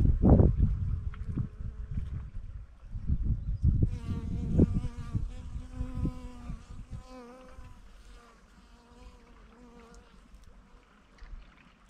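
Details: Honey bees gathering nectar from camellia flowers at Naesan, Namhae, South Korea: a droning, harmonic buzz with slightly wavering pitch hums steadily for several seconds, then fades, following early bursts of low rumbling noise.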